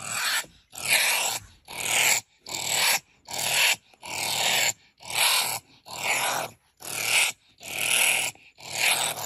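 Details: Honey badger (Mellivora capensis) harsh call: harsh, breathy rasping bursts repeated a little more than once a second.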